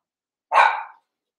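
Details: A Cavalier King Charles Spaniel puppy, one of eight young littermates wrestling and playing together in an indoor pen; a single sharp, rough yip-like bark, short and bright, in an otherwise quiet room.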